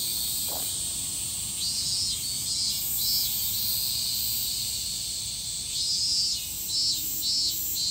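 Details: Higurashi, the evening cicada, in Japan, giving bursts of quick high, buzzy pulses that swell and fade in short series, above a steady piercing insect drone; one brief lower chirp near the start.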